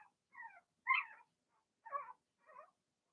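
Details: Blenheim Cavalier King Charles Spaniel puppies from a first litter of six, in an indoor puppy pen during potty training, give four short, high whimpering squeals with falling, wavering pitch, each about a quarter second long, separated by brief silences.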